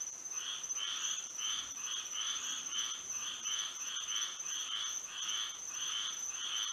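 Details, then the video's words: Night-time frog chorus in Florida with moonlight, many frogs calling together in repeated raspy bursts about twice a second, layered over a constant thin high-pitched drone. "A frog symphony"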